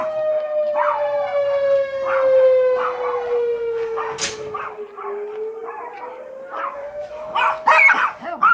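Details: Several Yorkshire terriers howl at a sounding alarm: wavering, harmonic howls rise and fall in short bursts over a steady, slowly gliding alarm tone, with a louder, rougher outburst near the end.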